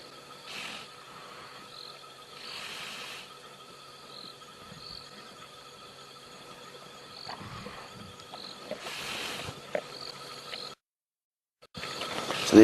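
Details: A huge male Cape buffalo, about 14 years old, held by lionesses at night, breathes in harsh, rasping, gurgling bursts as blood from bites flows into its airways and lungs, drowning it; night insects drone.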